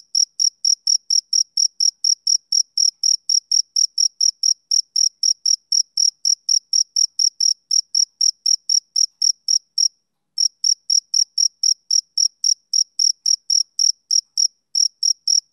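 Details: Male cricket calling on a summer evening: shrill, short chirps repeated steadily at about four per second, a short silence near ten seconds, then the same even rhythm again.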